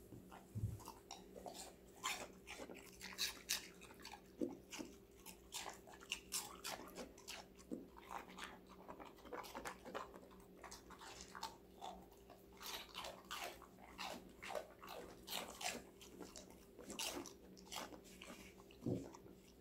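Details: Steady crunching and munching from a female Golden Retriever puppy, five months old, eating vegetables indoors; dense crisp bites come several per second throughout, over a constant low electrical hum.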